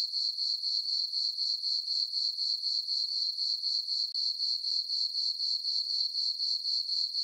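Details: Crickets chirping on a summer night in a farm meadow under a full moon: a steady high, thin tone pulsing about four times a second, evenly repeated, with nothing else heard.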